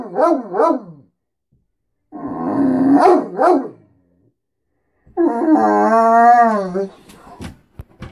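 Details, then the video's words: Every morning this Great Dane talks, wanting food and attention: short bouncy yowls, a grumbling burst with yelps, then a long wavering harmonic moan. "Talking great dane"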